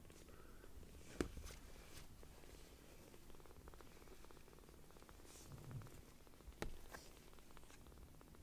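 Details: Tiny rescued foster kittens, just taken in, purr loudly as they seek affection; a continuous low rumble with pulsing texture, broken by a couple of sharp knocks or handling thumps.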